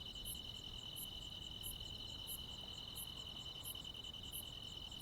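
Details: Crickets and other insects on a midsummer night in the Korean countryside: a steady high continuous trill runs throughout, with sharp very high chirps repeating roughly every 0.7 seconds over faint low rumble.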